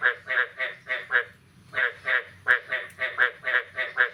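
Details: Morning frog chorus after the year's first rain, 9 May 2022: rough, nasal croaks repeated about three per second in two runs split by a brief gap, with faint low rumbling underneath.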